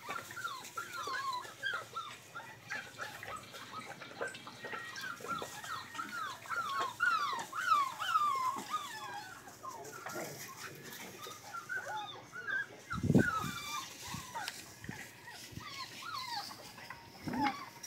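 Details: Rottweiler puppies whimpering and squealing in a busy, overlapping chorus of short, high, falling whines. A dull low thump is heard partway through.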